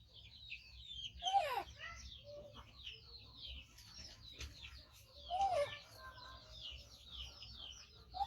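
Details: A 5-month-old rescued baby monkey, missing one foot, gives loud, wavering squeals while waiting for its carer to feed it, with birds chirping steadily behind.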